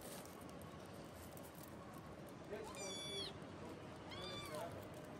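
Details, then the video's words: Two soft, high meows from a pet cat, recorded on the morning of 21 October, spaced about a second and a half apart, each rising then falling, over a constant hiss of room noise. "კატა კნავის"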